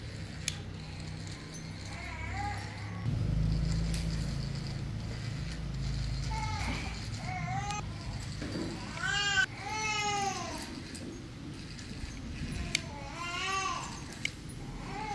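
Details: A pet cat, shown scared of a spider yet playing with it, gives several arched, rising-then-falling meows, a few short ones early and a louder cluster near the end, over a low steady background rumble.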